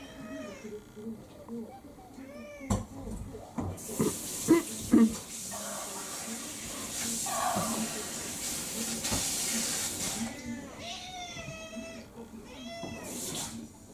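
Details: Meowing from Kurumi, a house cat, an orange tabby mix of about four, demanding her dinner; early meows, then a stretch of loud hissing noise and clatter, then a cluster of clear arched meows near the end, with a voice underneath.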